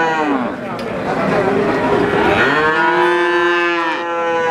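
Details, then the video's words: Young calf calling: a rough, breathy start gives way to one drawn-out nasal moo from about midway, held level and full of harmonics until the recording ends. "SUARA ANAK SAPI LUCU"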